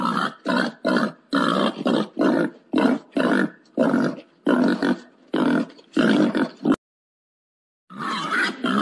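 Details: Wild boar calling for a mate with a steady string of hoarse, clipped grunts, about two each second, then a brief silence before it starts again.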